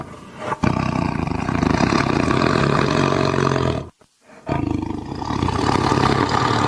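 A tiger gives deep, rough, drawn-out roars, broken by a brief silence.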